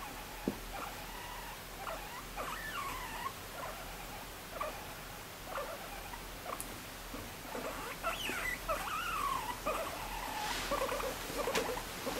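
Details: Pet guinea pig dozing off as it is petted, giving soft chirping squeaks that bend up and down, scattered irregularly across the stretch, with a faint background hiss.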